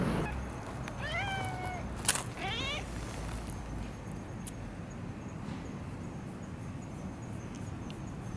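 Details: While being stroked, a long-haired tabby from a park tabby family meows repeatedly: two or three bright, wavering meows in quick succession, followed by quieter outdoor hum and distant traffic.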